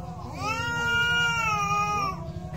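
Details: A single cat yowl during a fight: one loud, sustained, slightly wavering wail held for nearly two seconds before dropping away, with low rumbling noise beneath.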